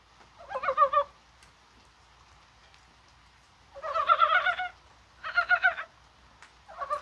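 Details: Korean brown frogs calling on a rainy, spring-like January 21st, possibly while spawning: bursts of throaty, clucking croaks about a second long, several voices overlapping, separated by short silences.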